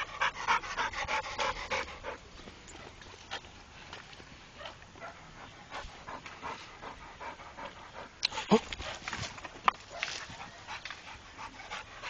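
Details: A trained Pit Bull pants steadily, the rapid airy huffs repeating a few times per second, with a louder burst near the end and brief human speech nearby.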